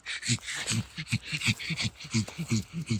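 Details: A pug named Kokos, out hunting porcini mushrooms, gives a steady run of short nasal snorts and grunts, about four per second for three seconds, with a low throaty buzz in each puff.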